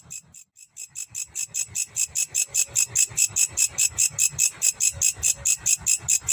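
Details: Grasshopper in Indonesia stridulating: a high, dry buzzing pulse repeated steadily about two to three times per second, growing louder after a short gap near the start, with faint low background rumble.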